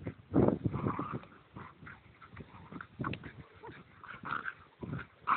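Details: Irish Terrier and another dog in wild play, giving low throaty growls and huffing grunts, with brief higher yelps near the end.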